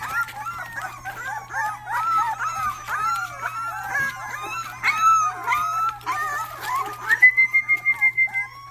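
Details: Rottweiler puppies indoors, a litter making some of their first barks: many overlapping high, squeaky whines rising and falling together, then a run of about ten quick, evenly spaced yips near the end.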